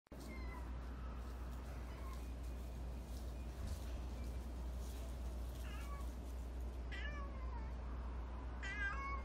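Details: Black stray cat Nero, an expressive cat with a distinctive cry, meowing at feeding time; several short rising-falling meows, the clearest near the end, over a steady low hum and outdoor background noise.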